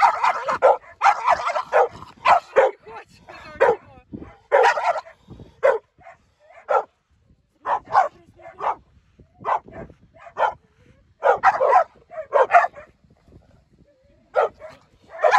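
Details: Two pit bulls meeting give repeated loud barks and yips in irregular bursts, with brief whimpers and quiet gaps, the barking clustering densely early and spreading out later.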